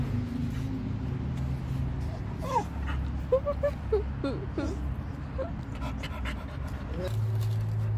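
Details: Formosan Mountain Dog whimpering: a run of short, high, bending whines between two and five seconds, each rising then falling, over a steady low engine-like hum and faint voices.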